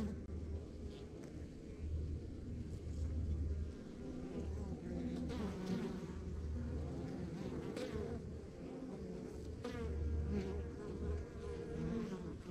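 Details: Backyard beehive on a rural property, honey bees making a dense unbroken hum with scattered faint ticks and close fly-by buzzes swelling and fading.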